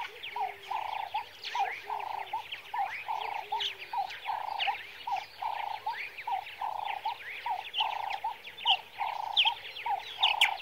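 Meerkats give a steady run of short, nasal peeps over a busy scatter of higher chirps.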